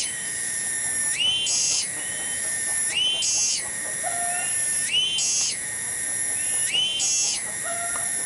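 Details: Single tonggeret cicada in a village garden in Desa Cibening, Bungursari. It keeps up a shrill, ringing, continuous song with regular upward-shifting surges about every two seconds. Faint short whistled bird calls are heard in the background.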